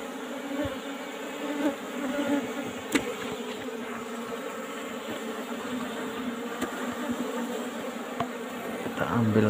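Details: Asian honey bee colony in a traditional box hive while combs are cut for honey; a dense, even humming swarm runs throughout, with scattered sharp clicks and taps from the work.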